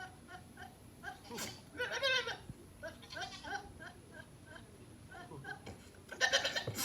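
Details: Two goats chasing and playing give wavering, nasal bleats in short bursts against a soft background hiss.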